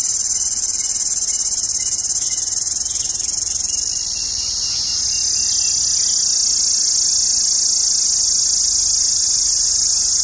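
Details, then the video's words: Summer cicada chorus from India, a piercing continuous shrill; the tone wavers and softens briefly near four seconds before rising back to a steady loud buzz. "Cicada sound 🎶 Summer cicada loud sound"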